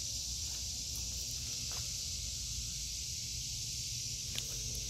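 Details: Cicadas in an August 2023 vegetable garden, their dense continuous high buzzing drone filling the air without break, with faint rustling and low rumble beneath.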